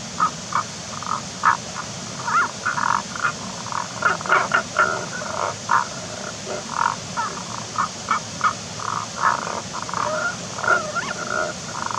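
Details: Tago's brown frog, unseen in a rock hole on a mossy slope wet with spring water in the forest, giving a long run of short snoring croaks, irregular and clustered, against constant water-like hiss.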